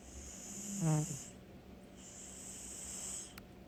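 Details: Sleeping cat snoring: a single low, rough, harmonic snore swells and fades in about half a second, then only a quiet breathing hum remains under a steady high hiss.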